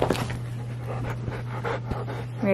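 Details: Bernese Mountain Dog named Benny, cuddling in bed indoors, breathing in soft, uneven panting bursts over a steady low electrical hum; a woman's voice speaks briefly at the end.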